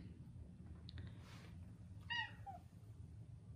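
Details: An 11-year-old male blue lynx mitted Ragdoll cat, who rarely meows, gives one short, high, mouse-like squeaky meow that dips slightly at the end while asking for a late dinner around 7:45.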